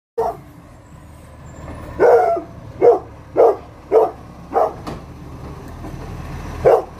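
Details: Rhodesian ridgeback guard dog Asha barking: seven deep, single barks over about seven seconds, mostly about one a second, with a longer pause before the last, over the steady rumble of a truck engine.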